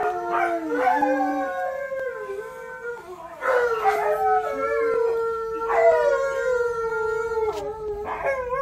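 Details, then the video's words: Alaskan Malamute puppy Alyeska howls along to a playback of Malamute and Husky howls; long drawn, wavering tones that slide down and then hold steady, with overlapping voices rising and breaking in bursts and a rich, ringing quality. "Malamute & Husky Howl With Malamute Puppy!"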